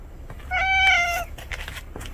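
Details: A single clear meow from a house cat named Juhwang-i or a stray named Noranggi as the two cats finally share a room indoors; one drawn-out, slightly falling mew lasting under a second, followed by faint rustling.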